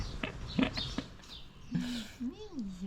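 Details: Mimi the cat meowing at the sight of food: a single drawn-out meow that rises, then falls, following close-up human talk and soft voices.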